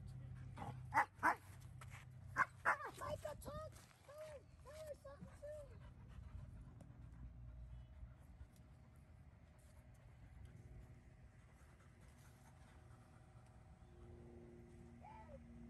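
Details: Denali, a 5-month-old puppy, plays with 7-month-old Micha at a dog park. Two pairs of sharp harmonic barks are followed by a run of short arched whimpering yips. Faint background noise fills the quieter second half.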